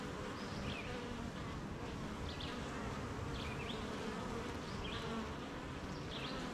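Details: Steady droning hum of a honey bee colony at the hive on a rainy morning, the insects working at making honey; short high bird chirps recur every second or so over the buzz.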